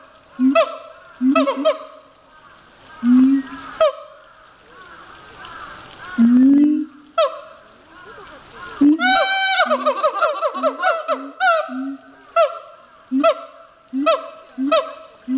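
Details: A siamang at a zoo in Chiba, Japan, barks vigorously: loud, honking barks, with a fast run of rising whoops partway through.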